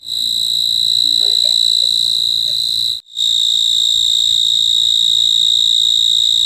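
An insect at night gives a steady, high, ringing trill that barely pauses.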